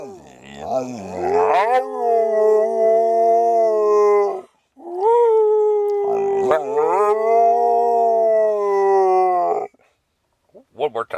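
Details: Little dog Sammie the Pooper trades howls with its owner inside an RV: two long, steady, mournful howls, each rising at the start and holding level before stopping, separated by a short gap.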